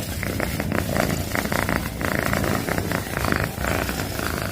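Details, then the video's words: Loud purr of a domestic cat, a low grainy rumble pulsing rapidly with each breath in and out, heard up close with no other sounds. "CAT PURRING - Loudest Purring Cat Video - Cat purring sounds || Suara Kucing mendengkur"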